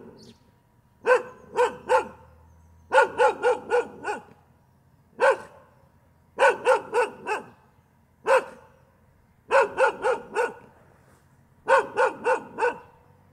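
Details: A dog barks steadily in groups of two to five clipped, resonant barks, interspersed with single barks, over about thirteen seconds with short silent gaps.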